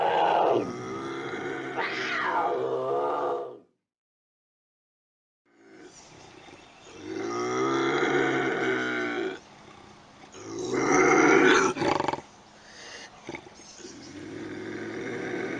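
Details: Intense bobcat howls and growls used to repel raccoons: several harsh, harmonic yowls, one with a sharp upward sweep, broken by a few seconds of silence, then rasping wails and short snarls.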